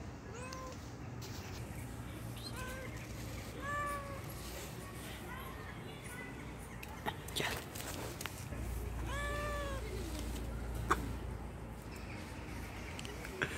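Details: Shy stray cat on the street eating from a person's hand, uttering scattered brief meows, some doubled, amid low hum, rustling and occasional clatter.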